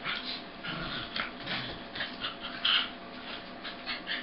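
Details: Two corgis play-wrestling at half speed, the red and white male making the noise: dense, rasping growl-like bursts follow one another closely, with one sharper, higher squeak near the middle.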